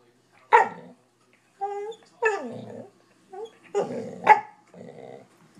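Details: Rufus, a corgi mix pet dog that gets bored often and whines when ignored, gives short sharp barks mixed with rising whiny yelps and low grumbling growls, in bursts with brief pauses in a quiet room.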